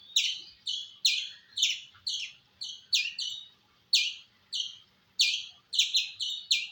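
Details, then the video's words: Squirrel calling with shrill, clipped chirps, mostly evenly spaced, with a short gap mid-series then a quicker burst of several chirps near the end. "Squirrel Making Sound"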